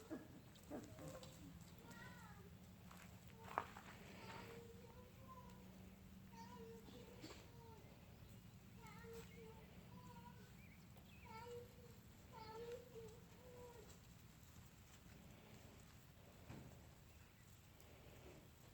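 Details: Puppies about 4.5 weeks old, litter of the mother dog Rue, on a field trip to get used to new noises; short high whimpers and squeaks, some rising, repeat through the clip over a steady low engine-like rumble.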